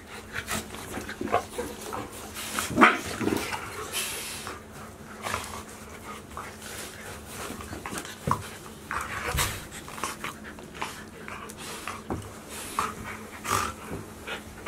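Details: Golden Retriever puppies, 73 days old, from Chiro's litter at Ain village, filmed 7 July 2018; short scattered barks and yips, the loudest early on, mixed with clatter and movement noise indoors.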